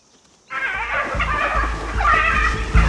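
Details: Many spotted hyenas in South Luangwa give shrill, wavering distress calls, several voices overlapping over a low rumble, while wild dog pups nearby are left without adults.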